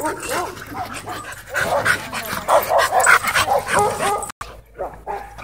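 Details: Two Siberian Huskies in an intense play battle at a dog park: rapid continuous growling and whining yips tumbling over each other, grumbling rising and falling in quick bursts.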